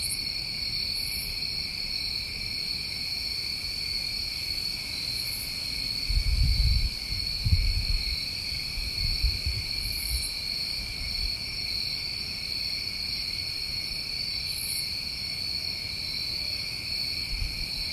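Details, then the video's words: New England summertime crickets at night, their continuous shrill trilling holding steady throughout, while soft low thumps and rumbling noise rise briefly in the middle of the recording. "Tinnitus Masking With Crickets"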